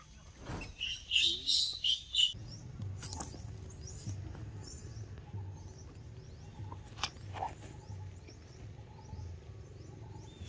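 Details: Monkey named Scarlet screaming loud for help while another monkey, Suk, shows its power and Rose eats mango; shrill, high, harmonic screams in several quick bursts over two seconds, then quieter rustling and faint distant chirps.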